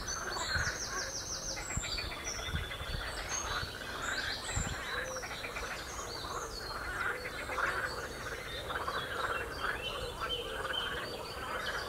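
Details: Many frogs croaking together on the Royal Military Canal near West Hythe: dense, overlapping rattling croaks in quick pulsed bursts, with thin high bird chirps and calls scattered above the chorus.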